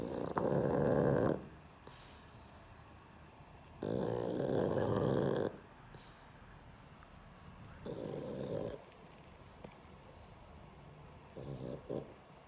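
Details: Asleep pug Sheldon snores in slow cycles: loud, raspy, rattling snores of one to two seconds recur about every three to four seconds, growing softer toward the end, with quiet breathing in between.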